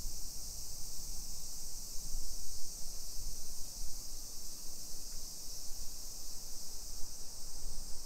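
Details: Summer cicada chorus along suburban hillside streets of Nisshin, about 20 km from downtown Nagoya, Japan, 1 PM on 28 July 2021; a dense, level, high buzzing drone persists for the full span above soft low rumble.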